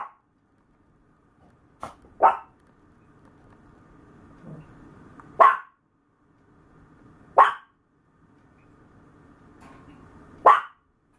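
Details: Maltese lying down and stretching out its front legs, letting out a quick pair of barks, then single sharp barks spaced roughly two and a half seconds apart over a soft hum.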